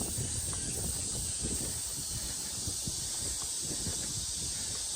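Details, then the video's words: Summer cicada chorus at Mujinjeong around 1 p.m. on August 2, 2021, a thin continuous high hiss sitting over louder low rustling and faint outdoor background noise. "시원한 매미소리"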